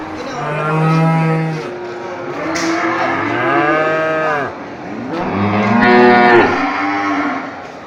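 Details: Water buffalo cows at a market calling to their companions: long harmonic moos, several overlapping, some low and steady, others rising then falling, with a busy crowded background.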